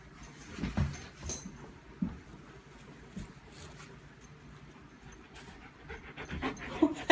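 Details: Female German Shepherd wrestling with her white tiger toy, panting in quick, soft, uneven breaths about three to four per second, with low thumps and rustling from play and a man's voice speaking near the end.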